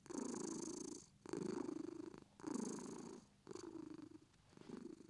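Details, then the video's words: A British Shorthair cat purrs contentedly, throaty rumble rising on each exhale and dipping between breaths, roughly four rounded bursts in five seconds in a quiet room. "British shorts purr"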